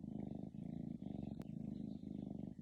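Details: A sleeping cat snoring: low, rough, rhythmic pulsing breaths, each rasping cycle lasting about half a second and repeating steadily, with one sharp brief click near the middle.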